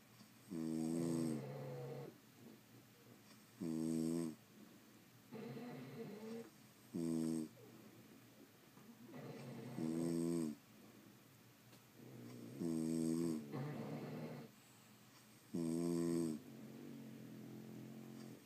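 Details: French Bulldogs sleeping and snoring steadily indoors: about six loud harmonic inhaled snores roughly every three seconds, each followed by a softer raspy exhale, a long regular rhythm with no other sounds.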